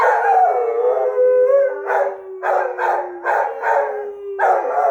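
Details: Australian Shepherd howling at a fire truck carrying the Easter Bunny: one long drawn-out howl sliding slightly downward, followed by a rhythmic string of pulsing yowls.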